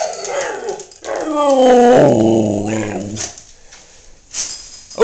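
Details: Male Siberian husky kept as a pet, howling when prompted: a rough, throaty woo-woo vocalisation rising then falling in pitch, with a growly edge, trailing off into quieter short sounds.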